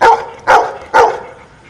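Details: Dog answering a subtraction question by barking: three crisp barks evenly spaced about half a second apart, loud and close, in a quiet setting.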